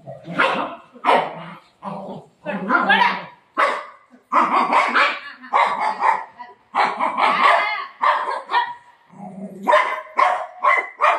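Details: Golden Retriever named Milo, a pet dog fussing indoors over taking a tablet, gives loud, harsh barks repeated in irregular bursts through the clip, mixed with a woman talking to the dog in a small room.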